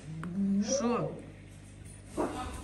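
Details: Mother cat with her kittens, indoors in a house shared with many pets and exotic animals: one drawn-out meow that rises and falls in pitch, followed by a woman speaking Russian, with a low steady hum underneath.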